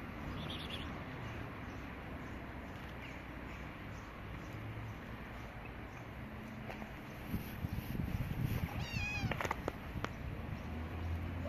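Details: Stray cats, a gray kitten and a white cat that are friends; a single harmonic meow rises and falls near the nine-second mark, set against a constant low rumble and hiss.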